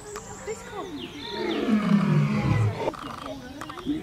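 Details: Lion of the African savanna giving a single deep, gravelly roar that slides downward and fades, with thin high whistling sounds above it.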